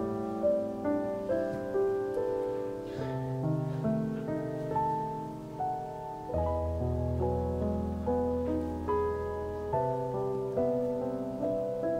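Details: Gentle piano music plays throughout, with soft repeated chords and no animal sound.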